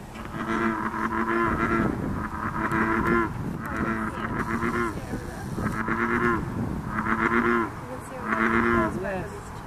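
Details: American bullfrogs in a chorus at Blacks Nook on 9 June 2013 give deep, resonant, moo-like croaks, repeated roughly every second or so.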